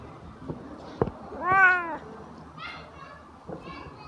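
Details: Sleepy Siamese cat newly woken from a nap gives a single loud, drawn-out meow rising then falling in pitch, followed by two softer, shorter mews; a couple of sharp taps are heard.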